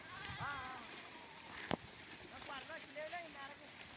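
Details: A sheep from a flock grazing in a cotton field bleats several times, short wavering bleats, with a sharp click midway and a person talking faintly among steady outdoor noise.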